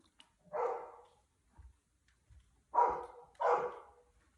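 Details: Big-brother Golden Retriever barking frantically because the youngest dog has gone into the house pool alone, Cheongju; one loud bark, a pause with faint thumps, then two sharp barks close together.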